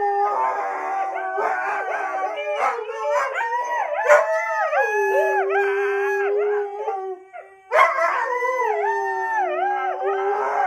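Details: A Siberian Husky, set off by a laugh, howls in long, wavering tones that slide up and down, with brief breaks between phrases, over music.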